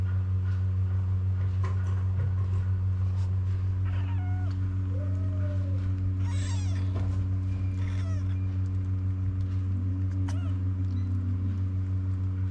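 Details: Kittens among street cats in Morocco crying for their mother, who jumps over to nurse them; scattered short meows, one arching mew, a shrill burst near seven seconds, then lower drawn-out mews, all over a constant low mechanical hum.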